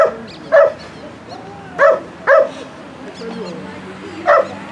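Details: Bull Terrier working at a rally obedience session on 2 September 2017: short, sharp barks ring out in a quick series, four loud ones spaced about a second apart, while a person talks in the background.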